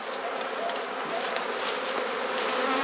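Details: Honey bees at a hive being inspected, with frames being swapped, in a garden in Perth, Australia; a steady broad hissing hum of many bees fills the whole stretch with no clear breaks.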